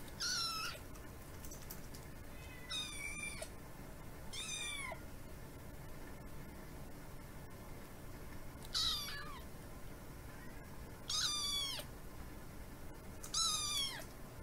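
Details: Tiny kitten Kiki with feline hyperesthesia, fed bonito flakes indoors, meows demandingly for snacks: six sharp, high, harmonic-rich meows that drop in pitch, spaced about two seconds apart in bursts, with quiet room hum between.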